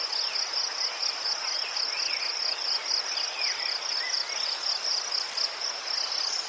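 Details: Ukrainian crickets near chrysanthemums keep up a dense, rapid, bright trill on a single high pitch, beaded with quick pulses, while faint curving chirps flicker softly in the background.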